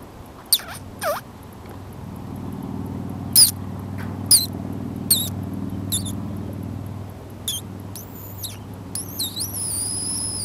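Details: Baby Sonoran Desert ground squirrel in a backyard gives scattered thin high squeaks, some sweeping sharply down in pitch, then longer wavering whistled calls near the end, over a low steady hum.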